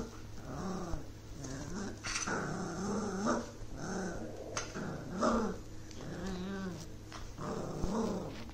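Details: A Miniature Schnauzer puppy, the morning after arriving in its new home, gives a run of rough, wavering growls and whiny vocalisations.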